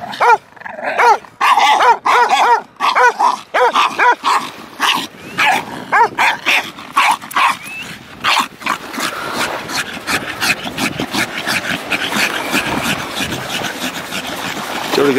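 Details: Zen, a Staffordshire Bull Terrier, digging at the beach for his stick, lets out a burst of sharp barks and yips during the first half, then fades into broad scraping and wind-like noise as people praise him.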